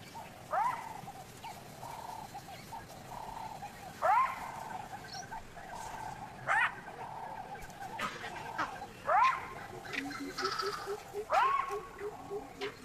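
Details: A jackal gives sharp, rising yelping alarm barks, repeated every few seconds, and vervet monkeys echo them with alarm chatter in the distance.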